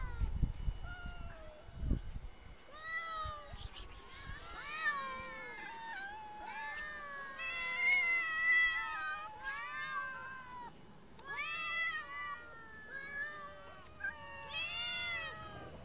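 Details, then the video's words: Several street cats calling at once in a busy chorus of short and drawn-out meows, rising and falling, overlapping almost continuously, with a few knocks at the start. "Kedi sesleri kedi miyavlaması"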